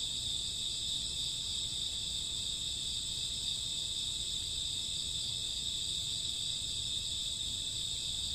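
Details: Crickets with grassworms calling at night in summer or autumn, many voices merged into an even, piercing high trill that never breaks, accompanied by faint low-frequency hum.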